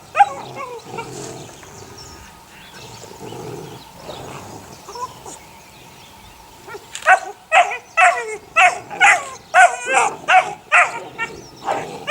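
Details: Sunny's six puppies, eight weeks old, first murmur quietly, then break into a run of loud high yips roughly twice a second during the last five seconds.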